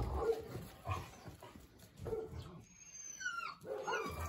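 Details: Playful Eastern European Shepherd puppies in Ukraine, several together; short low yelps and grunts recur about every half second to second, with a brief high squeal near the end and faint background rustling.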